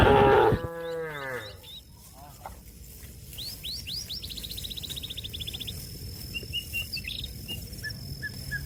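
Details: Cattle calling a companion grazing on grass to return to the barn: a loud moo ending at the start, then small birds giving rapid high trills and chirps over a steady background hiss.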